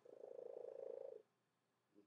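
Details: A domestic cat, which has always purred this loudly for unknown reasons, gives a loud, rapidly pulsing purr with a throaty, almost cooing tone, then falls quiet; finding: cat.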